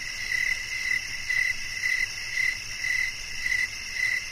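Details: Steady cricket chirps, brief bright pulses spaced about half a second apart, backed by a continuous high-pitched buzzing chorus.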